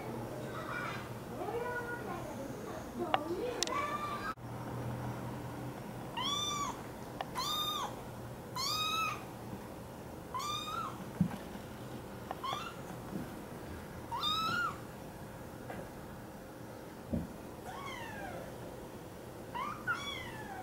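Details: American Curl kitten, a pet filmed at home, giving a string of short arched meows, rising then falling, spaced about one to two seconds apart, with soft human voices and light household noise beneath.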